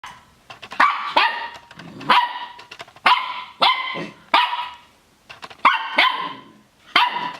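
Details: Puppy barking in a string of sharp, high yappy barks, roughly eight in quick bursts with short pauses, some doubled, each bark bright with a slight trailing whine.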